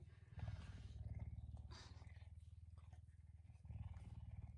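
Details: Pet puma kept in a house, greeting its owner in the early morning; continuous low rumbling purr pulsing several times a second, growing louder at the start and end, with faint rustling.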